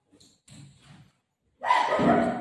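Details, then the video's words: Buzo, a pet Golden Retriever, playing with his owner at home. A few soft thumps and rustles come first, then one loud, harsh, broadband bark. "Buzo Mummy ko bol raha hai aunty aa gayi darvaja kholo | cute golden retriever dog playing with mom"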